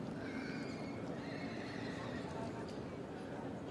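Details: Welsh Cob at a show class for three-year-old fillies: a faint neigh, a steady harmonic whinny held for about two seconds, rising above constant crowd murmur and open showground noise.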